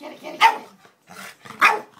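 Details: Excited Boston Terrier playing with a cat toy, giving short sharp barks with a softer yip between them, Dutch speech faintly behind.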